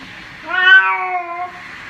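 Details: A single plaintive meow from a cat during its bath, rising then slowly falling over about a second, over a soft background hiss.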